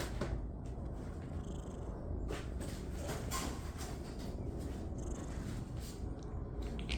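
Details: Rescued tabby kitten from a shelter purring strongly, a thick low vibrating rumble held throughout, broken only by light clicks and rustles of handling in a small room.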